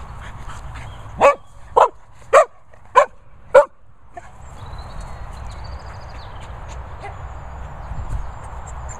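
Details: Dogs, a Sprocker and a Labrador, at training and boarding kennels in Worcestershire countryside; five sharp barks spaced about half a second apart, then a steady background hiss with a faint whistled tone.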